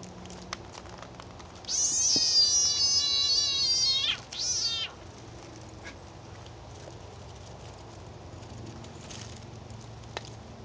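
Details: Frog being eaten by a snake gives two piercing, tonal screams: a sustained cry of over two seconds, then a brief second shriek, followed by faint rustling and near silence.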